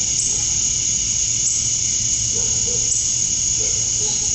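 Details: Male cicadas chirping to attract females at dusk on a summer night in Georgia, USA: a dense, unbroken high-pitched shrill drone that holds steady throughout, with faint low murmurs beneath.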